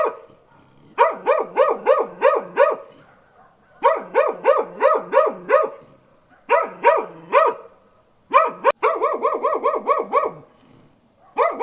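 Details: Dog barking in four rapid runs of five to eight loud, clipped barks. The last run is longer and denser, with brief quiet pauses separating the runs.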